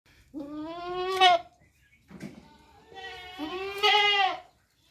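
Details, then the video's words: Goat giving two drawn-out, wavering bleats about two seconds apart, the second longer and rising in strength, with a short, softer grunt-like sound between them. "Cute Goat Sound Video|Beautiful Goat Sound Effect"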